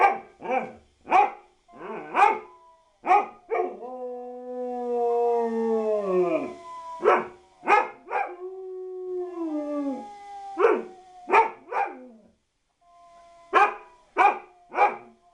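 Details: Dog barking in rapid bursts, breaking into a long howl of several seconds that slides downward and fades, then a second wavering howl before the barking resumes.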